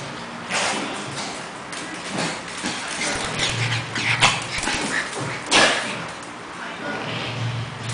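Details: Cash the Pekingese play fighting with Lebron, a two-month-old English Bulldog puppy, not a real fight: low rumbling growls come in bursts, mixed with short yips, whimpers and scuffling noise.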